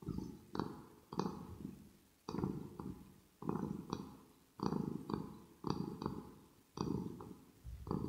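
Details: Kitten Rosetta purring up close for ear-to-ear ASMR indoors: a steady low throaty rumble rising and falling with each breath, about once a second, with crisp smacking clicks at the start of many pulses.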